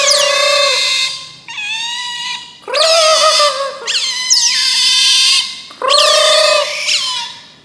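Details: Otter (berang-berang) producing a series of loud harmonic whines, each held about a second, starting with a sharp high descending squeak, five or six cries with brief gaps between them.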